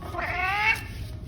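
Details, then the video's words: Adopted rescue cat, a golden tabby male described as formerly shy and now very talkative, indoors at home: one drawn-out harmonic meow lasting about half a second, rising slightly then falling, with quiet room noise and a person speaking nearby. "Now He Won’t Stop Talking"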